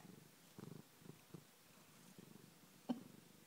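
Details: Domestic cat on a sofa purring softly: low, pulsing rumbles come in short bursts separated by quiet gaps, with a brief sharp click near the end.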